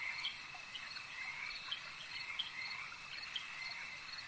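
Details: Lakeside frog chorus, many croaking voices overlapping in quick, regular pulses above a continuous shrill hum, with a few louder clicking notes standing out.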